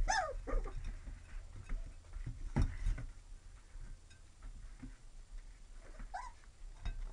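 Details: Young Lab-Retriever mix puppies indoors, giving a few high whining whimpers with rising-falling pitch near the start and again around six seconds, separated by faint shuffling and a low room hum.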